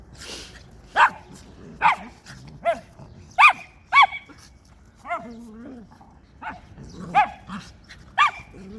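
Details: Barking from a schnauzer and West Highland White Terrier pair indoors on January 4, 2020: repeated sharp, high-pitched barks spread across several seconds at uneven intervals, with a brief lower growly murmur in the middle.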